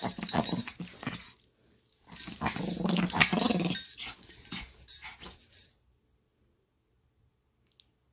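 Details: Playing Chihuahua, happy then feisty, giving rough, noisy growls in two bursts of about one and four seconds amid scuffling, followed by silence.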